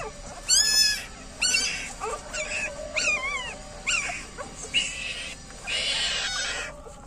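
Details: Female street dog lying with her nine newborn puppies; thin high squeals and whines, some falling in pitch, some wavering, coming in clusters roughly once a second over faint background hiss.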